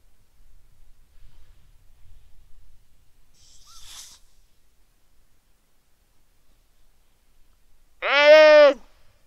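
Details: Weddell seal pup lying on the ice shelf calling its mother on a quiet, sunny afternoon, Terre Adélie, Antarctica, 15 November 2009 at 17:30, Rode NT4 microphone: near silence with faint rustles, then one loud, richly harmonic, downward-bending cry near the end.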